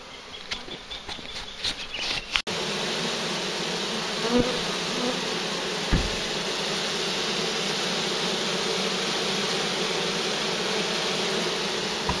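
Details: A large, very active swarm of bees found near a farm while being collected; a dense, steady hum fills the recording after a few sharp knocks in the first two seconds, with a brief tap around six seconds.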